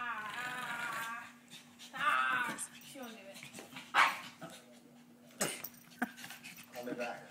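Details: A small female Pekingese playing rough lets out uneven, rasping growls and snarling bursts, some with a whiny, tonal edge, with a person speaking in between and a steady low electrical hum underneath.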